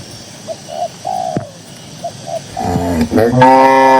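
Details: Cattle grazing and strolling in a green pasture: soft rhythmic dove coos for the first half, then a loud, rough cow moo that breaks and rises at the end.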